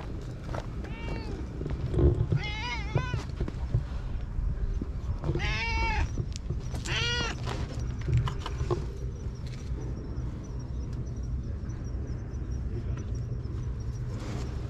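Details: Stray cat living at a lighthouse on high ground, meowing while being tickled on the head. Four or five drawn-out, arching meows come between one and eight seconds, then fade out. A steady low rumble, likely wind, runs underneath.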